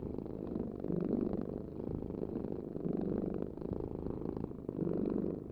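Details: Purring cat, a low vibrating drone with three stronger swells as the animal breathes, each lasting close to a second, over a quiet background.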